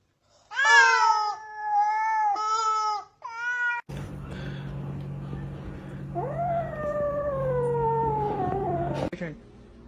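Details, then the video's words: Domestic cat with a funny voice giving three quick, bright, level meows in a row, then human talk over a low hum, followed by one long meow that rises briefly and slowly falls for about three seconds. "suara kucing lucu"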